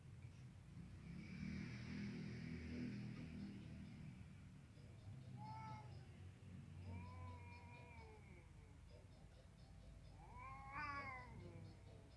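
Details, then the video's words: Kittens and adult cats at play or fighting; low rumbling growls first, then short rising meows and a quavering cry near the end, over steady background noise. "Kittens and adult cats play or fight according to their age"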